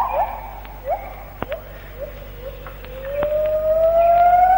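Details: White-handed gibbon morning song from the Malaysian rainforest, recorded between the late 1950s and early 1960s: a run of short rising whistled hoots, then a long, steadily climbing pure-toned glide that grows louder, with faint clicks and hiss.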